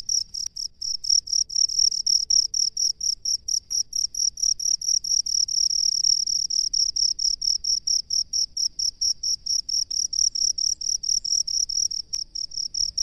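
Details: A cricket of the rice paddies sings a long run of high, ringing pulses, about two per second, steady and loud throughout, with a couple of faint clicks in the background.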